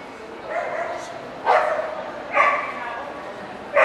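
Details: Welsh Corgi, Cardigan or Pembroke, at the NVP dog show in Ostrava on 14 April 2012: three sharp, harmonic barks at roughly one-second intervals, each sudden and loud, over a steady murmur of show-hall voices.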